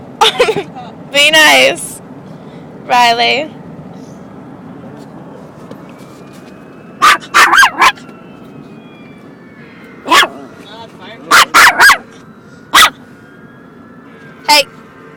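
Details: ['Dog scared of a kitten indoors; a few high yips and barks early, then a scattering of sharp short barks spread over the rest, with a man speaking and a faint siren in the background.']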